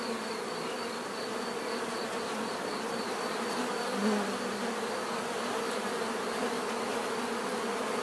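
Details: Bees buzzing steadily in a dense, continuous drone, with low hum bands layered under a brighter high whine; no other clear sounds.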